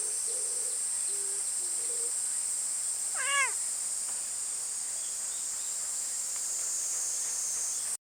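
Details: Summer cicadas give a steady, high, unbroken buzzing drone that runs the whole length. A brief meow-like wail rises near the middle, and a few short, low tones sound at the start.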